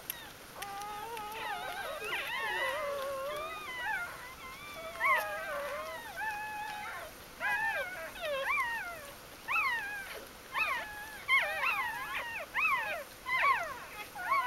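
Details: From Ari's G-litter, newborn puppies filmed 1–4 October 2012 after birth let out short, sharp rising squeaks in bursts, growing more clipped and insistent toward the end, over faint background hiss.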